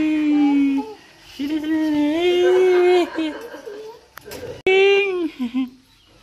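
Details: Persian cat among a group of pet cats during indoor play, giving long drawn-out meows: a steady tone held nearly a second, a longer wavering one, then a short rising-falling cry, with laughter and chatter nearby.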